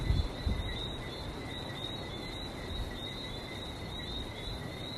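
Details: Barbados frogs calling by the sea, a continuous piercing tone that pulses unevenly without a break, with a few soft thumps at the start and a steady low wash of waves underneath.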